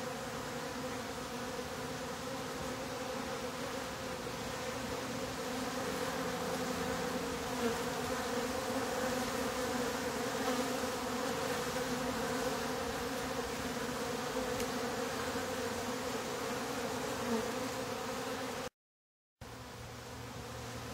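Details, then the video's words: Top bar hive of honey bees humming as its bottom board is closed: a full, sustained drone that swells slightly in the middle, steady and continuous, briefly cutting out near the end before resuming. "Closing the Bottom Board, now with real Bee Sound!"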